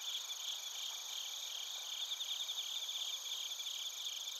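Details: Narita, Chiba, Japan: bell crickets and other crickets recorded on a TASCAM Portacapture X8, their high tinkling trills overlapping in an unbroken wash, with an uneven chirp rhythm of roughly two to three pulses a second.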